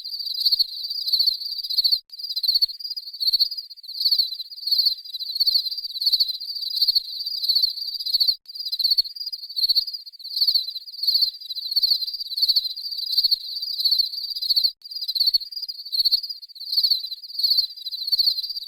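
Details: Steady high-pitched cricket chirping, dense pulsed trills repeating in quick rhythmic bursts that merge into a continuous shimmer, with a few very short gaps and no other sounds.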